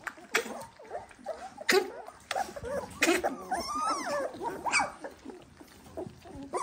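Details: Eighteen-day-old Dalmatian puppies jostle at feeding time. Brief, piping squeals and whines tumble over each other amid scuffling and clicks, while a man talks to them in the background.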